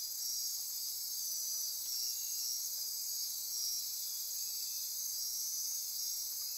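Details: Dense nocturnal insect chorus in rainforest near Corcovado National Park, Osa Peninsula, Costa Rica, at midnight: a steady, continuous high-pitched wall of buzzing and trilling with faint pulsing bands, unbroken throughout.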